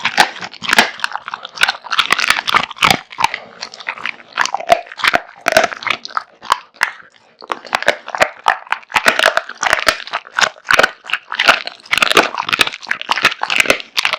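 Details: A big-eating male American Bully, Kotetsu, chewing through raw meat and bones; fast, crackling crunches and snapping bites run almost nonstop, with a brief lull midway.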